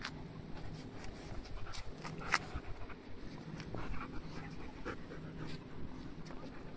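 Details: Dogs at play, panting in short breathy bursts with a few sharp clicks and thumps, set against a steady low rumble of wind and engine-like noise.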